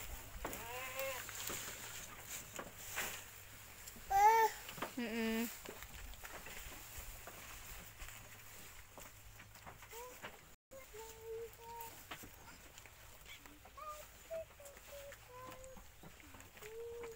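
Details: Village goat owned by a grandmother in Indonesia, bleating while being fed: a few short quavering bleats early on, then a series of brief high whistled or squeaky calls amid people talking.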